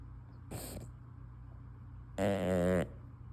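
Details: Asleep with her tongue out, a female English Bulldog breathes out softly, then after a pause gives a loud, vibrating, nasal snore lasting roughly half a second.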